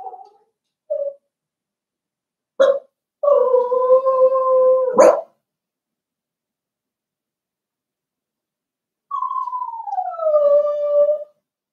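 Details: Seven-week-old blenheim Cavalier King Charles Spaniel puppies indoors in their pen: brief yelps, then a loud sustained howling whine held about two seconds ending in a sharp yelp, silence, and a final long whine sliding downward.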